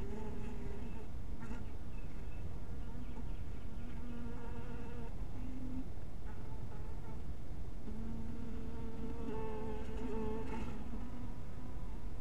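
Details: Twilight at a small beehive with scattered honey bees: overlapping low hums that swell and fade as individual bees approach and leave, a steady drone throughout with a couple of faint clicks.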